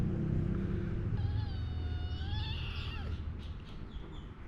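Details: A meow from one of Taeng-On's four kittens, Leopard, Samlee, Durian and Daoruang: a clear, drawn-out cry that wavers and then drops at the end, followed by soft clicks, over a constant low hum.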